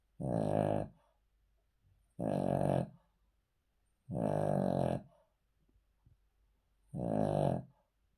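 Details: Sleeping Cavalier King Charles Spaniel lying on the floor indoors, snoring in four long, buzzy, throaty breaths roughly every two and a half seconds, each about half a second to a second long, with quiet pauses between.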